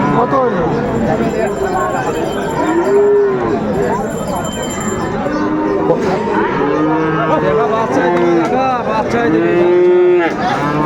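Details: Friesian and crossbred bull calves at Raniganj cattle market, Dinajpur, on 2 May 2024: several drawn-out, low moos rise and fall over a loud, continuous crowd of bargaining voices and chatter.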